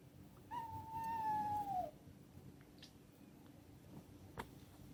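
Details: Single long, drawn-out cat meow, steady then gently sliding downward over about one and a half seconds, followed by faint background hum and a brief knock.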